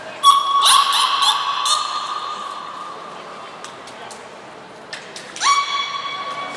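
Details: Niko and Mirai, belugas at Port of Nagoya Public Aquarium, training on 29 February 2020: a cluster of buzzy, harmonic squeals at the start, a long quiet stretch with clicks, then one rising whistle-like call held to the end.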